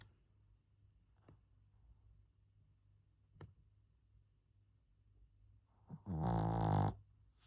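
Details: Kongtteok, a Pomeranian, asleep and snoring: faint clicks in a quiet room, then one loud, buzzy, harmonic snore of about a second near the end.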